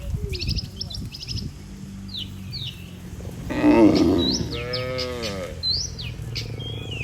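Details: Cattle herd moving along to their barn, led by a herder: one strong, rough moo swells around the middle, sliding into a long harmonic tail, with scattered high bird calls before and after.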